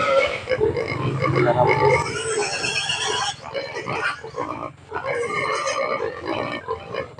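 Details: Hungry native pigs clamour at feeding time, expecting food: a dense, noisy chorus of harsh overlapping squeals and grunts that runs almost continuously, dipping briefly after three seconds before rising again, with background music faintly present.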